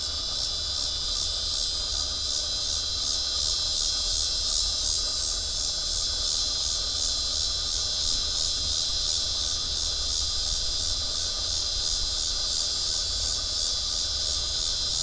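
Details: A cicada on a tree by the Arkansas River sings a steady, high, hissing buzz that pulses slightly without pause, recorded on 12 September 2011.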